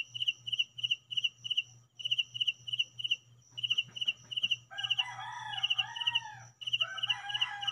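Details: A cricket at home gives high, pulsing chirps in short bursts of three or four, repeated about twice a second over a steady low hum. Midway, a rooster-like crowing and other background calls briefly join in.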